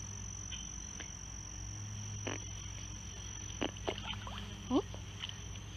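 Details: At a pond, frogs give several brief, weird gulping croaks spaced irregularly a second or so apart, over a continuous thin high whine, a low hum beneath and a few faint bird notes.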